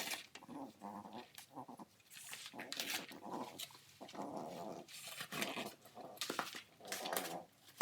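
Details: French bulldog puppy destroying cardboard without swallowing pieces, time-lapse recording indoors; bleating-like whimpers and harmonic grunts come in clusters between rustling, scraping cardboard noise.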